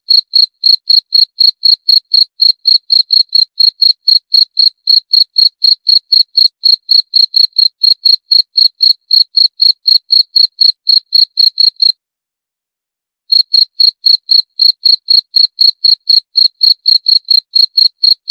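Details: A single cricket repeats crisp, high, ringing chirps roughly four times a second, with a one-second silence partway through before the rhythm picks up again.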